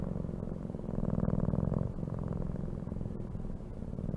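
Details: Domestic cat purring steadily, a low rumbling vibration with fine rapid pulses that swells louder around the middle and then settles, with no other sounds.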